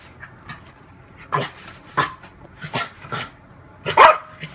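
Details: A female French bulldog playing with her mirror image gives a string of short, sharp barks and yips at uneven intervals.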